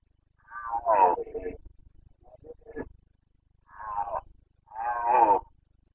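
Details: Carpathian red deer stag roaring in the Bucovina mountains of Romania during the breeding season, 29 September 2022: hoarse, harmonic bellows, two short groans then two longer roars, with low pulsing grunts beneath.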